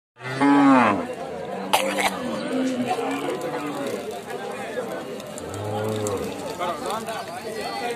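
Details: A cow gives a deep, drawn-out moo that bends up and then down. A second, lower moo follows about five seconds later, over steady outdoor background noise.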